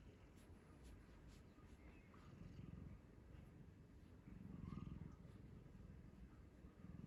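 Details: A sleeping pet cat, picked up as a stray long ago, snoring on a lap and stroked to test for purring: a low, continuous rumbling pulse that swells at times, with faint rustling from handling the phone.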